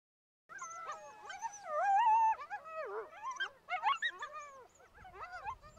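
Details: Coyote chorus of quavering, bending howls mixed with sharp yips and warbling cries, several voices overlapping and sliding up and down in pitch throughout.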